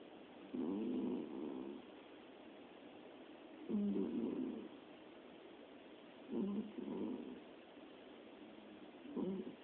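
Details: Domestic cat snoring while fast asleep, one of three cats dozing together; quiet, rough, breathy snores that come in bursts roughly every two to three seconds, some of them double, over a soft steady background hiss.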